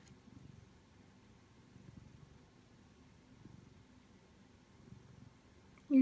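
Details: A male Siamese cat purrs softly in low, rumbling waves while seeking attention, as a person talks gently nearby.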